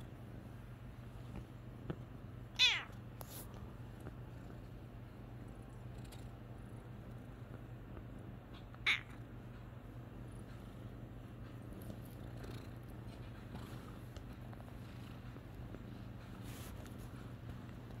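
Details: A male Bengal cat meowing as he wakes from a nap indoors: two short, bright, slightly falling meows, one early and one about six seconds later, over a quiet steady hum.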